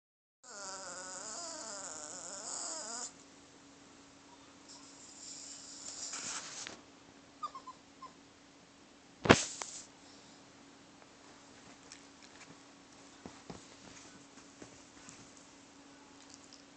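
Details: Brooklyn, a pet dog, makes funny noises while seeking attention: a wavering, whining tone lasting about two and a half seconds, then quieter snuffles and soft clicks, with a steady low electrical hum throughout.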